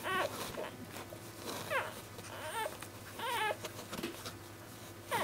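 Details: Newborn basenji puppies in their first week of life, from a litter, give thin, squeaky whines that rise and fall in short bursts.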